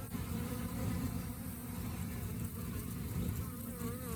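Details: Honey bees humming during the rainy season, a steady low droning buzz with dense low tones and faint wavering higher tones throughout.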